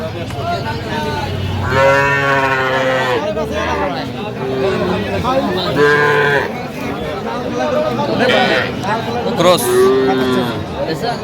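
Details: Young Sahiwal cattle, bulls and heifers, at a Faridpur market in Bangladesh on 11 November 2025 give strong, harmonic moos about every few seconds, some long and level, others short, with people talking around them.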